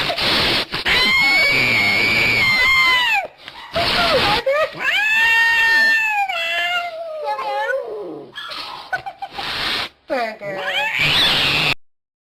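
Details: Domestic cat in a funny compilation, giving long, drawn-out wavering yowls and meows with abrupt cuts between scenes and brief silences.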